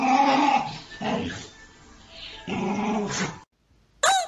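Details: Dog reacting to itself in a mirror, giving rough growling barks in three separate bursts, then a brief silence and a sharp, higher bark at the end, with music playing softly underneath.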